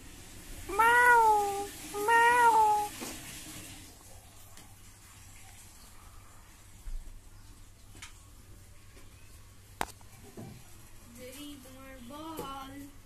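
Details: British Shorthair kittens meowing indoors: two loud, slightly wavering meows in the first three seconds, then quiet room noise with a few clicks and a softer, rising-and-falling mew near the end; a voice speaks briefly.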